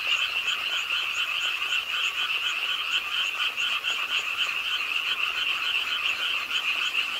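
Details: Pond-side frogs in a Suwon city park, Korea, calling with the rainfall at night: many fast, rattling croaks merge into a continuous trilling wall of sound, with faint higher pulses above and rain noise beneath.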